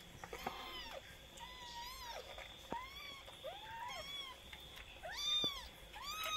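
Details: Young kitten at twenty days of age calling repeatedly: high, plaintive, bent meows, some rising at the end, coming close together in a steady series over a constant background hum.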